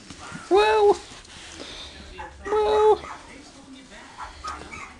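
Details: Newborn Miniature Pinscher puppies, born 16 November 2008, give two short tonal squealing cries with a steady pitch about two seconds apart, over faint background noise and some human voice.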